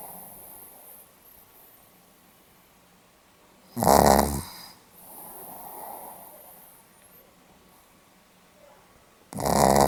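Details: Pomeranian dog snoring, recorded 8 November 2015: two loud, rasping snores about five and a half seconds apart, each a harsh breath lasting under a second, with soft breathing and near-silence between.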